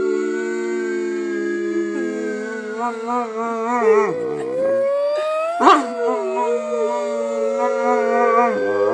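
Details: Pet dog singing on cue, a long wavering howl that dips and rises over steady sustained tones, with a brief sharp yelp near the middle.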